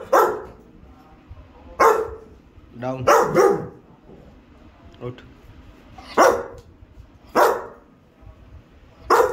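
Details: Rottweiler barking repeatedly on the command "speak" during training, about six loud, harsh barks spaced one to two seconds apart, mixed with a handler's voice giving commands and praise.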